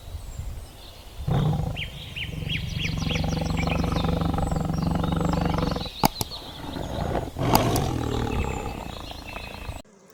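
A tiger gives a deep, rumbling roar lasting several seconds, with a rough, throaty growl underneath. Two sharp clattering knocks follow near the end.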